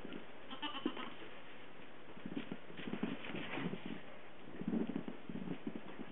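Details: Newborn Nigerian Dwarf goat kids, two days old, on a Western Colorado farm, bleating in soft, low wavering bursts that cluster near the middle and end, over steady low background noise.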